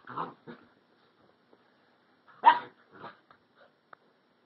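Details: Cinnamon, an Alaskan Husky puppy, and Flash, a year-old Rottweiler/Puggle, playing together on 2/4/11; short yappy barks and growly bursts come in clusters, the loudest near the middle, with quiet gaps between.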